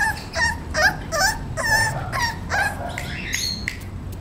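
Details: Young male English Bulldog, Romeo, aged 38 days, lets out quick high-pitched whining yips, several wavering and pulsed, coming about twice per second.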